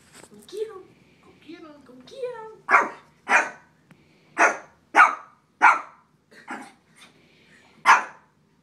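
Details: Little Shih Tzu named Willy barking at a frog indoors: a series of sharp, loud barks roughly every half second to a second after an opening of whiny vocal sounds, with a person telling him to back up and shut up.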